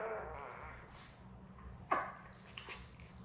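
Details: Newborn Labrador Retriever puppies, a litter of seven born May 24, 2021, with their mother Belle, recorded indoors on a live puppy cam on 4 June. Soft, wavering whimpers give way to one sharp squeak that drops in pitch, over a low room hum.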